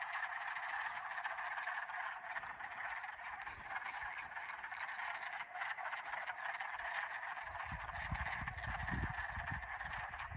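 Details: Spring frogs singing at Old Wadena in 2021; a dense, continuous chorus of overlapping high trills fills the whole recording, with a low rumble toward the end.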